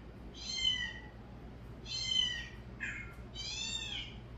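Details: Three long, high meows come from cats reacting to a calling sound, with a short, lower mew before the last one. Each call carries rich harmonics, and the room stays quiet between them.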